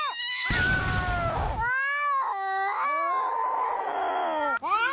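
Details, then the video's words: Domestic cats in a fight: drawn-out wavering yowls with stacked harmonics, broken by a burst of harsh hissing noise, then sliding howls rising and falling, ending with a sharp rising cry. "Funny Cat Fight That Will Make You Laugh Out Loud"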